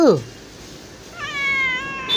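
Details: Domestic cat giving a drawn-out, slightly falling meow with clear layered harmonics lasting nearly a second, preceded by a brief higher sound and background hiss.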